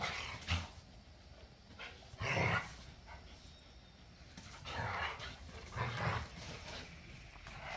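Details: Pit bulls and a Malinois at play in a back yard, wrestling and tugging toys; scattered short gruff barks and snarls, spaced a second or two apart, over a low outdoor background.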